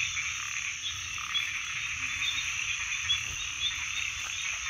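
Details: Steady wall of frog calls, a thick high-pitched trilling chorus holding level throughout, with a few brief lower tones and soft rumble beneath.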